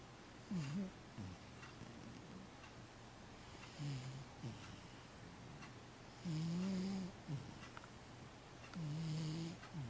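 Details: Sleeping 15-year-old cat Matchan snoring steadily indoors, low nasal rumbling breaths about every two and a half seconds, some short and dipping, others longer and more tonal, with soft hiss between them.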